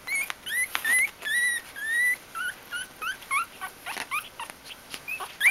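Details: Bichon Frisé puppies in a litter at a registered kennel whimpering: long thin whining notes that slide upward, then shorter pulsed squeaks repeated about twice a second, with faint rustling between cries.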